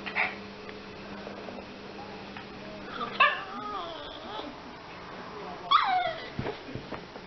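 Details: Yorkshire Terrier helping with shopping gives a few high, whiny whimpers. Each one slides downward in pitch, spaced a few seconds apart, over a low steady hum and faint room noise.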